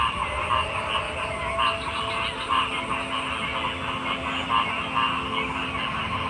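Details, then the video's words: Several frogs croak in an uneven rhythm, short throaty pulses rising out of a constant trilling chorus, with a faint low steady hum throughout. "Frog Sounds"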